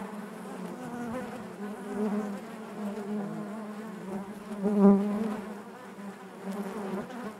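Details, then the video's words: Honey bees droning inside their hive, a deep steady buzz with stacked overtones that swells to a louder peak around the middle before easing back to an even hum. "bees therapy hive natural buzzing sound"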